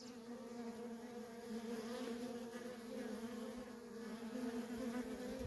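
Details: Feral colony of honey bees, workers in constant traffic, producing a thick, even hum that swells gently in loudness over the few seconds.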